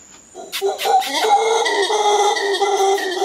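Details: Howler monkeys in Costa Rica giving a loud, sustained, moaning howl that swells in after a quiet start and holds steady with rough, layered tones, over a constant high insect whine.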